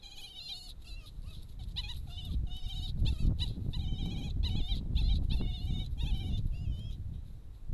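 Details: A subordinate red fox vixen shows submissive behaviour to a male dog fox, giving rapid, high, wavering whines and squeals in quick bursts over low rumbling noise.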